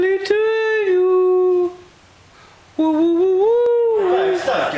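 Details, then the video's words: Two Scottish Terriers, Jack and Tiger, "sing", howling in long, steady tones that swell slightly then fade; they sing at any time with little provocation. "Scottie's Jack and Tiger! We call it singing!"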